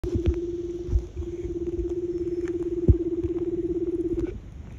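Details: A large leopard seal (Hydrurga leptonyx), basking on an iceberg in Bulls Bay, Antarctica, in December, sings one long, steady, pulsing trill that holds a single low pitch for about four seconds and echoes widely.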